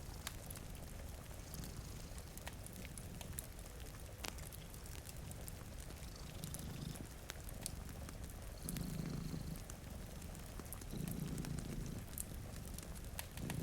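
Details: Two cats sleep in front of a rainy window, one purring in a steady low rumble that swells and fades with each breath, about every second and a half; sharp crackles from a fireplace and soft rain hiss fill the background.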